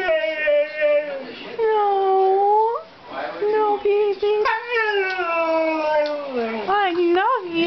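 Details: A male Siberian Husky 'talks' in drawn-out, wavering howls that slide up and down in pitch, telling his owner he wants to go outside to relieve himself.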